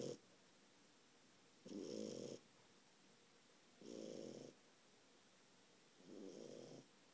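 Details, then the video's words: Sleeping French Bulldog, four months old, snoring heavily: three raspy, buzzing snores about two seconds apart, the last one softer, separated by near silence in a quiet room. "french bulldog snoring"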